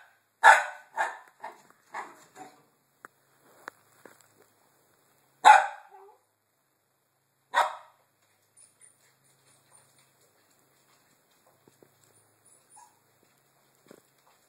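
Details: Penny, a dog waiting at a gate, lets out a sharp loud bark followed by a few quieter ones, then two more single barks spaced a couple of seconds apart before the scene falls nearly silent.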